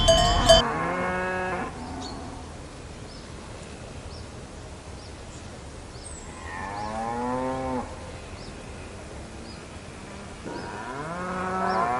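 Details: Cow lowing, with one deep harmonic moo at the very start followed by two longer rising-then-falling moos around seven and eleven seconds, separated by quiet background with faint high ticks.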